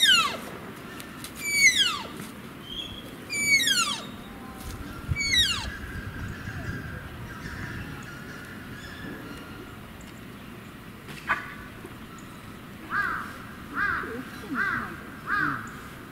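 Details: A Malayan tapir at Tama Zoo, where a parent and calf are present, gives high, thin whistled squeals, surprisingly high-pitched, each sliding steeply downward and repeated about every two seconds.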